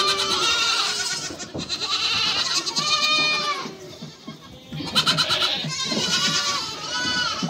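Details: Nanny goat with her kids, several voices bleating almost without pause; arching, vibrato-laden cries overlap, dip briefly around four seconds, then resume in a cluster of rapid, higher-pitched bleats.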